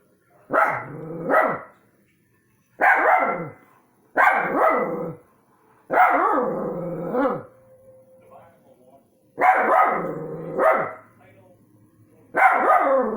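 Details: Domestic dogs bark at orbs: loud, hoarse barks, often in quick doubled pairs, spaced by a second or two of quiet, with a faint steady tone in one pause.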